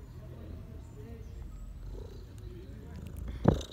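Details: Domestic cats purring in autumn: a steady, low rumbling purr throughout, with a brief louder knock or rustle near the end.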